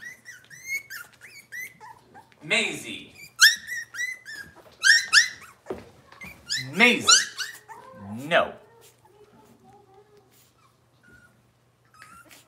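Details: Robin's litter of Cavalier King Charles Spaniel puppies indoors: loud, high, rising-and-falling whines and yelps come in quick overlapping bursts for about eight seconds, then fade to soft whimpers, with a faint background hum.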